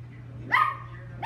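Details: Single sharp, high-pitched yap from Lucky the Chihuahua at playtime, brief and bright, with the onset of a second bark cut off at the end and a low hum beneath.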